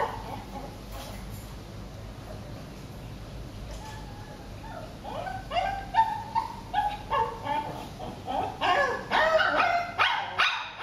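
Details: Shih Tzu named J during eye contact training: a quiet start, then short high yips and whimpers growing denser and louder over the last five seconds.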